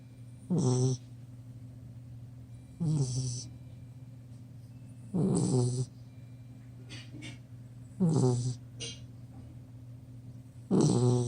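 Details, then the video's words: Ten-week-old chocolate Labrador Retriever puppy asleep on a couch, snoring: five loud, rough, rasping snores roughly every two and a half seconds, with quiet pauses between them over a steady low hum. "10 Week Old Lab Puppy Snoring"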